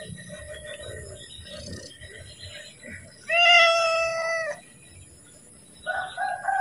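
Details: Domestic cat calling for food at feeding time, giving a single drawn-out level meow midway over a steady low background hiss, with faint softer sounds near the end.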